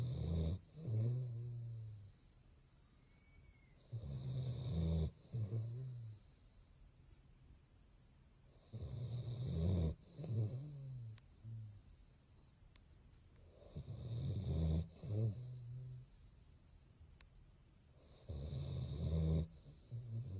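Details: A male Basset Hound sleeping with his eyes open snores deeply in low, rattling, rumbling breaths, one every four to five seconds, with quiet pauses between.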